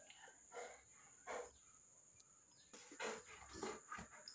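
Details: A Rottweiler with a baby makes a series of brief gruff sounds, about five bursts spread over four seconds with quiet gaps between them, over a constant high-pitched hiss.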